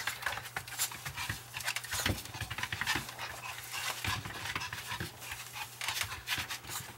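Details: Long-haired Chihuahua panting while playing catch me if you can indoors; quick breathy puffs in irregular bursts with scuffling movement noises and a man's voice at the end.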